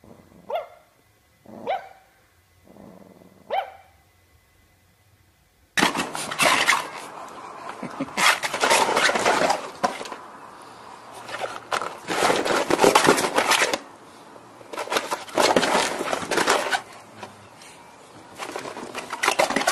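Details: Dog in a funny pet compilation: three short harmonic whines or yelps at first, then a loud burst of rapid, irregular barking with noisy, harsh bursts repeating several times a second through the rest.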